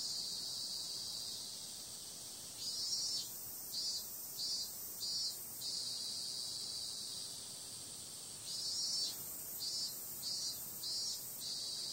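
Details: Night chorus of cicadas in summer: a continuous shrill, hissing drone, broken by two series of four or five louder rhythmic pulses, each series lasting about three seconds, with quieter steady buzzing between.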